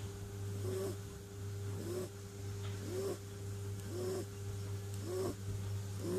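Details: Clint, a sleeping kitten, snoring softly: short nasal breaths with a slight upward whine, coming about once a second over a constant low electrical hum.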